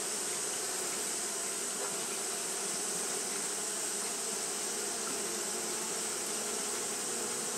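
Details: Steady hum of Japanese honey bees fanning nonstop because the day was hot; a constant low drone layered with airy hiss, unchanging from start to finish.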